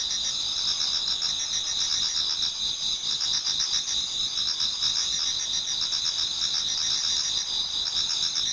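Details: Autumn insect voices fill a Japanese garden as dawn nears: continuous shrill, layered ringing from many singers, with rhythmic pulsed chirping rising and falling in the lower part of the chorus.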